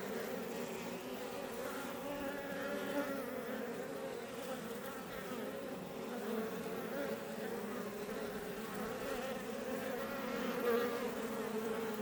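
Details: Iberian honey bees flying around a Langstroth beebox hive near Roquetes in south Tarragona, Catalonia, Spain; continuous even droning hum of many wingbeats, mid-low pitched with overlapping tones, fairly constant volume with a brief swell near the end.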